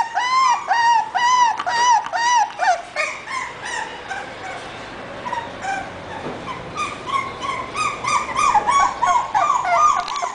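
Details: Young English Bulldog puppy giving insistent whines, a fast series of short, arched, squeaky cries at first, then a brief lull with soft noise, followed by more sustained, wavering whimpers.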